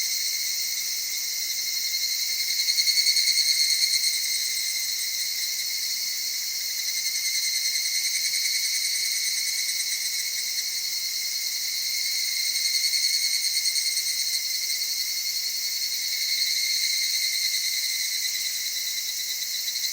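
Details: Evening cicadas in Okutama's cedar forests near mountain streams, Tokyo, Japan, singing at dusk or dawn; a high, steady chorus swelling into pulsed phrases roughly every ten seconds.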